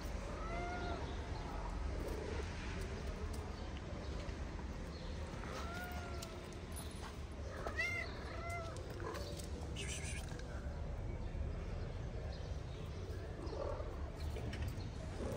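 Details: Street kittens in Morocco playing a fighting game on their wooden house while the mother cat eats; several short harmonic meows, some rising then falling, over steady low background rumble and a brief human laugh.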